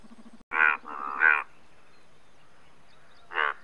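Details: Loud, blaring croaks of the Indian bullfrog, India's largest frog: a harsh double call, then a pause, then a single rasping note near the end. Little else is heard apart from a faint low hum.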